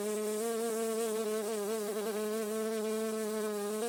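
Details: Steady humming buzz of a honey bee, said to resonate through a garden. The drone stays constant throughout, with small dips and wobbles in pitch near the middle.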